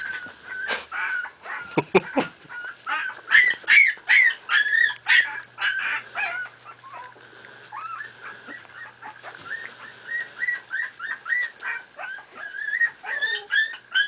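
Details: Playing Miniature Pinscher puppies, aged four and a half weeks, fill the recording with rapid shrill yelps and thin whines, some sliding upward, packed closely together in irregular clusters with a few sharper peaks.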